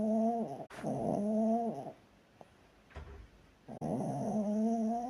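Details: Chihuahua snoring while asleep: two long, nasal, harmonic inhalations, each rising then sagging in pitch, split by a quiet gap with faint clicks, repeating roughly every three seconds.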